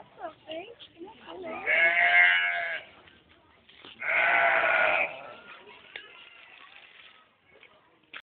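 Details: While chasing a boy, a sheep lets out two drawn-out, harsh bleats a little over a second apart, with voices chattering before and after.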